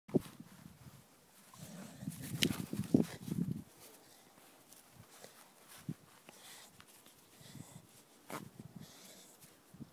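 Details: Staffordshire Bull Terrier growling while playing tug of war: a low, rumbling growl swells for about two seconds, then breaks into short scattered grunts and scuffling sounds.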